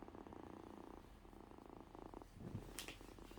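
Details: Sick kitten on a couch purring while being rubbed: a steady, low, pulsing rumble throughout, with a brief sharp click near the end.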